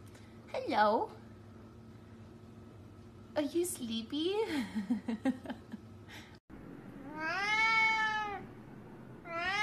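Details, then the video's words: Siamese cat talking and playing indoors, giving drawn-out meows: a short rising-falling one, then a run of wavering, chattering meows, then a long, loud arched meow rich in overtones, with a person speaking to it between calls. "Siamese Cat Meowing | Siamese Cat Talking & Playing"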